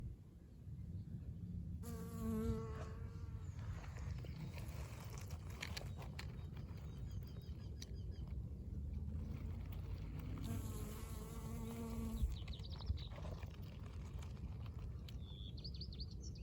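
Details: Pollen-covered honey bee flying above a blooming dandelion in spring: two bursts of steady, low droning buzz, each lasting about two seconds, over a constant low rumble, with faint high bird chirps toward the end.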